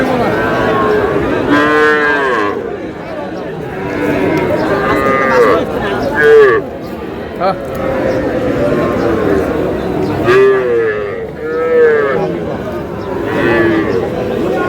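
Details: A pair of young Sahiwal bull calves at a cattle market in Barishal, Bangladesh, on 28 July, while a farmer bargains over them. They give loud, nasal moos with rising then falling arcs, several across the stretch, over busy market chatter.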